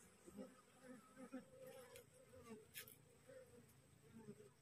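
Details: Newly split wild honey bee swarm resting on a cassava plant and slowly clustering toward its caged queen; steady low droning hum with brief swells, a few sharp clicks, and quiet music behind.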